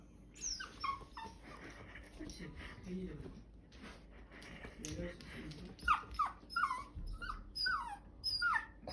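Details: Bichon Frise puppy "talking": a woman speaks softly for several seconds while the dog answers with short, high, downward-sliding whines, which come more often near the end.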